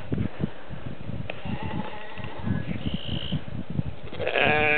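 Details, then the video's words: Sheep on a croft making noise for breakfast feed on the first day of spring, March 20, 2008, around 8:30 in the morning; steady trampling and rustling, a short high call midway, then a loud quavering bleat closing the recording. "Sheep & Geese make noise and cause a riot for their feed"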